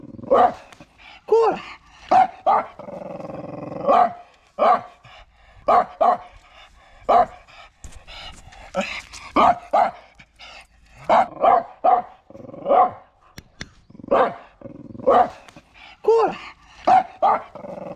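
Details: Jomon Shiba Inu taken to a shrine visit on the way to its rabies vaccination, May 2024: repeated high yelping barks and whines about once a second, each short and sharply pitched, with brief gaps between.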